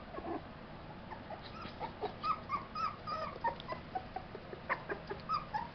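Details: A litter of young Tibetan Terrier puppies, born July 11, 2012, at a kennel, gives overlapping thin squeaky whines and little yelps, several pups calling at once in quick irregular bursts.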